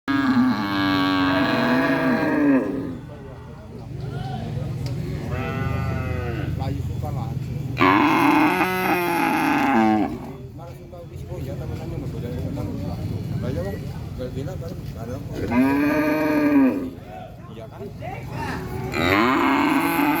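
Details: Cow mooing, recorded as a real cattle sound: three loud, drawn-out harmonic moos about every seven seconds, each rising then falling, with quieter lowing and a low steady background rumble between them.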